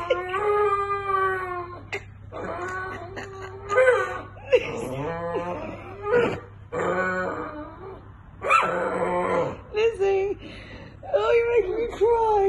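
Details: Rescue dog, a Staffordshire Bull Terrier crossed with a Rhodesian Ridgeback, howling to her walker friend for attention; drawn-out wavering howls and whimpers in bursts with short pauses, a person's voice also heard.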